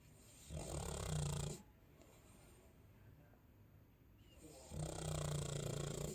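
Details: Sleeping Chow Chow gives two long, deep, rasping snores, each over a second long, separated by about three seconds of soft breathing.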